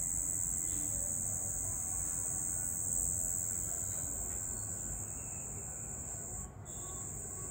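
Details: A cricket trilling at night, shrill and sustained, with one brief dip near the end, over a low background murmur.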